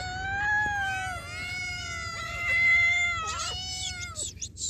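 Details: Hungry cat asking for food, giving long drawn-out harmonic meows that rise and fall, several in a row, with a higher harsher cry near the end and low background rumble.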